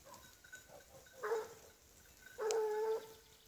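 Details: Griffon Bleu de Gascogne hound on the trail of a wild boar gives two drawn-out, even-pitched bays, the second longer and louder, separated by about a second of quiet background hiss.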